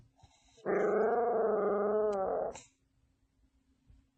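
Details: A dog gives one steady, rumbling growl that lasts about two seconds and then stops abruptly. The growl is pulsed and buzzy, with faint room noise before and after.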